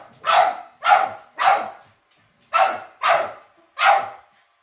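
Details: Pet dogs indoors reacting to a robot vacuum they are seeing for the first time; six sharp, loud barks in two bursts of three, each bark about half a second apart, with a short pause between bursts.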